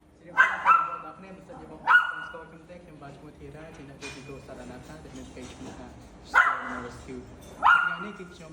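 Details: Female dog in severe pain, rescued at night, screaming for help: sharp high yelping cries with a quick downward slide, in pairs at intervals over a background of a man speaking Khmer.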